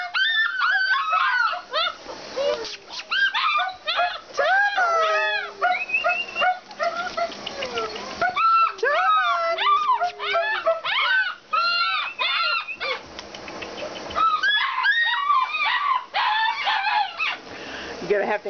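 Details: Several Alaskan Malamutes at a kennel vocalize together in a dense chorus of rising and falling whining yips, overlapping almost without pause, with a long steady tone near the middle and a person talking to them.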